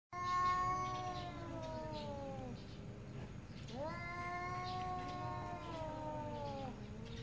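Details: Angry domestic cats arguing loudly: two long drawn-out wailing meows with rich harmonics, the first lasting about two and a half seconds and the second about three, each wavering and slowly falling in pitch.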